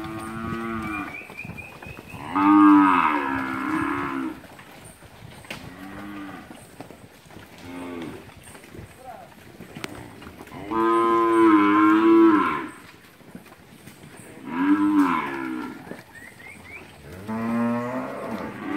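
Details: Mixed herd of heifers and cows, Capira, August 2016: several separate moos of varying length and loudness spaced across the recording, some close and strong, others fainter, with short higher calls between.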